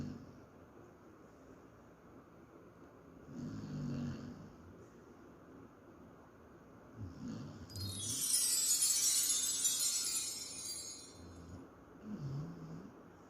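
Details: Female Akita named Ma Fei sleeping and dreaming indoors, snoring loudly: low rough breaths swelling at roughly four-second intervals, with a louder hissing burst in the middle.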